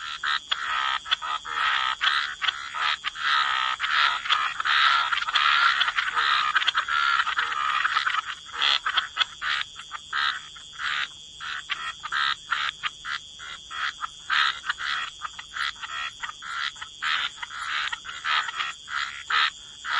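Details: Wetland chorus of croaking frogs, a dense overlapping band of raspy calls for the first eight seconds, then thinner clicking pulses repeating irregularly, a faint constant high tone underneath.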